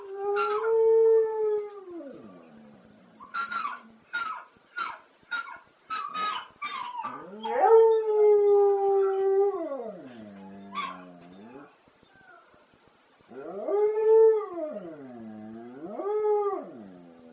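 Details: Domestic dog howling to the ELO classic Telephone Line: long held howls that swoop down at the ends, a run of short yips between them, then wavering undulating howls.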